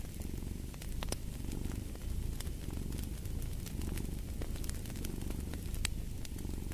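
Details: Domestic cat purring in a soft, throbbing rumble with roughly one-second breath cycles, while a fireplace crackles and pops sporadically in the background.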